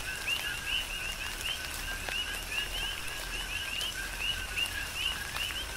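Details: Coqui frogs on the Big Island of Hawaii sing in a rain shower, trading quick two-part chirps that climb into a whistled upstroke, densely repeated, while raindrops fall steadily in the background.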